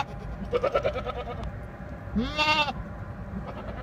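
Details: Goat bleating: one wavering, harmonic-rich bleat rising then holding for about half a second, preceded by a shorter quavering sound, over steady low background rumble.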